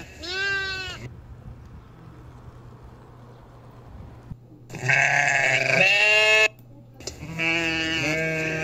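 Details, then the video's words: Goats in the mountains giving a short bleat, then after a pause a long loud quavering bleat and another drawn-out wavering one, strongly harmonic, over a low steady hum. "sounds of small horns"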